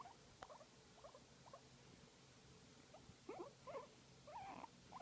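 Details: Massaged guinea pig utters brief squeaky chirps that grow louder toward the end. A longer, rougher squeal closes the passage, with a quiet low hum behind.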